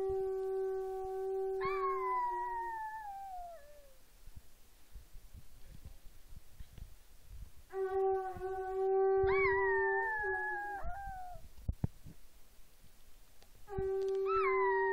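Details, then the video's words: Female Chihuahua–Miniature Pinscher mix howls at home in response to a conch horn being practised. Wavering, falling howls overlap long, steady horn blasts in about three bouts, with quiet gaps and small noises between them. "Conch horn makes Chihuahua- Mini Pincher Howl"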